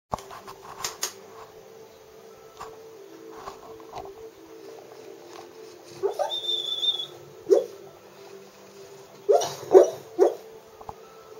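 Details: Wendy, a golden chocolate Labrador, dreaming of chasing birds in her sleep, gives short muffled yips and whimpers in scattered bursts, some clustered quickly together, over a steady low hum.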